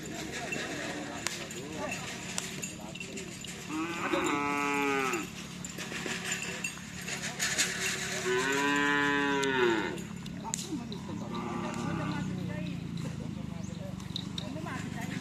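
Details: Madura cattle during karapan sapi racing practice at the Asemanis field in Pamekasan: two strong, rich moos, each about a second long with a rising-then-falling pitch, and a fainter third low call, over steady crowd chatter and outdoor din.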